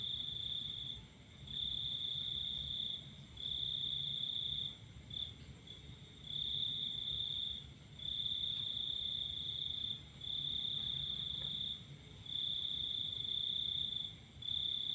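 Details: Night-time cricket chorus beneath the full moon. Shrill continuous trills last roughly one to two seconds each and are separated by short silent gaps, with a soft low hum underneath.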